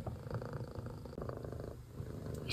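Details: Cat purring as it watches birds and a squirrel, low continuous rumble with rhythmic pulses, a person's voice faintly nearby.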